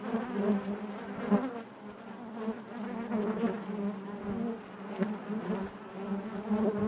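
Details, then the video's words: Honey bees droning in their hive, a deep continuous buzz with warbling overtones and uneven swells in volume, plus a few soft clicks. "bees therapy hive natural buzzing sound"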